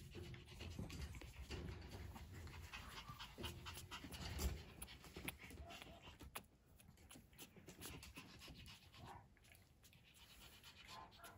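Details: A puppy whose parents both passed genetic testing pants in quick, uneven breathy bursts, loudest in the first half, then quieter with scattered clicks and rustles.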